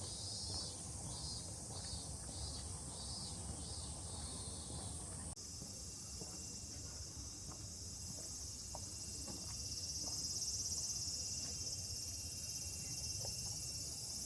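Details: Cicadas singing in the quiet Yanaka neighbourhood of Tokyo, Japan: a faint, high, shimmering drone that pulses rapidly at first and then becomes a steady continuous buzz, with low street rumble underneath.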